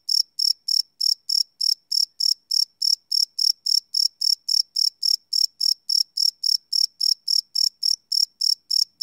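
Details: Crickets chirping at night, taped live on a Sony PCM D100: sharp, high trilled pulses in an unbroken rhythmic series, close to four per second, set against a quiet background.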